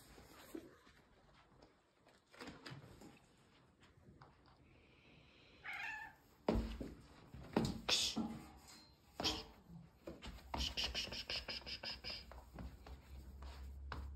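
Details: Fight between a playful gray female cat and a red male tabby indoors; a brief wailing yowl, then loud hissing, spitting bursts and scuffling thumps of wrestling, rapid and irregular, before a person separates them.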